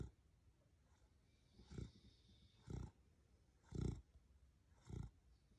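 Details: Sleeping beagle named Rocket, a pet dog in Australia, snores in four low, rumbling pulses about a second apart, softer and deeper than the louder stretches, over quiet room noise.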